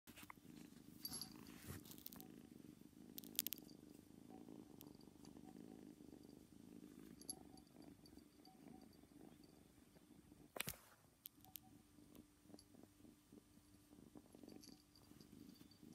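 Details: A nine-week-old female kitten, newly brought home and settling in indoors, purrs in a steady low rumbling pulse for most of the recording, with brief clicks and a sharp knock near the eleventh second.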